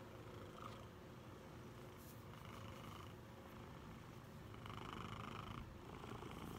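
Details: Big male Maine Coon cat from Bossier City, Louisiana, USA, cuddling on its owner's chest and kneading, purring loudly: a steady low rumbling purr pulsing several times a second, with faint brief voice-like hums drifting in and out.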